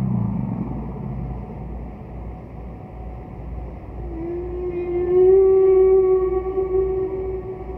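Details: Humpback whale song from Roger Payne's recordings, a distant singer from a 'Bel Canto' era of whale singing: a low grumbling moan fades, then a long steady tonal note with bright overtones swells and holds over a constant low hum.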